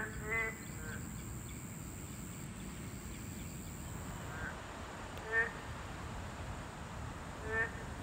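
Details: Boreal digging frog habitat, home to a class II protected species: sparse short nasal croaks, about four in eight seconds, spaced unevenly over a constant low background rumble.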